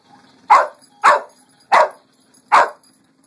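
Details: Lucy the dog barking at a Pink Pig Bumble Ball: four loud, sharp barks, evenly spaced roughly every two-thirds of a second, over a quiet background.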